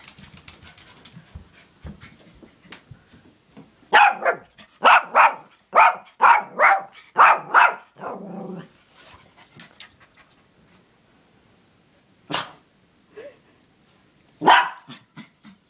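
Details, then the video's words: Morkie running around the house barking at a boy outside on an electric toy car, with people playing basketball nearby; a rapid run of about eight sharp barks, then quiet, then two more isolated barks. "alvin barking"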